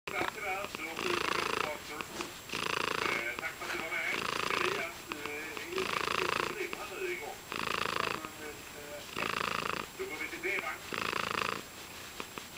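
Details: A happy domestic cat purring up close, steady rumbling bursts about a second long alternating with short quieter pauses in a breathing rhythm, no other sounds.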